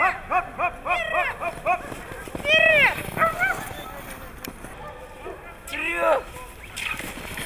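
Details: Siberian Husky in Nizhny Novgorod on 3 February 2017, a competition day: a run of short, bouncing, yodel-like yips, then a longer rising-and-falling arched howl and a later drawn-out moan, with human voices in between.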